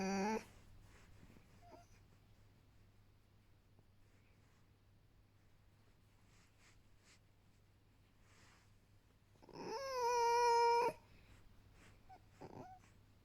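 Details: Vasilisa, a pet fox rescued from a fur farm and living indoors in a family home with two other foxes, being coaxed to lie down for a belly rub; a single drawn-out, steady, tonal whine lasting over a second, with faint short sounds before it.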